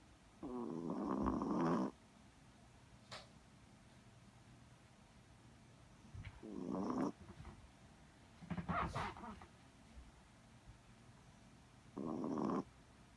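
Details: Sleeping Chihuahua snoring in a quiet room: harsh, rattling snores at irregular intervals, a longer one at the start, then shorter ones near seven, nine and twelve seconds, with soft sniffs and clicks in between.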